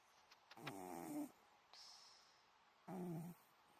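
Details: An elderly Scottish Fold sleeps deeply and snores. Two raspy, buzzy, low exhaled snores of about half a second each are separated by a breathy, hissing inhale. The room is quiet.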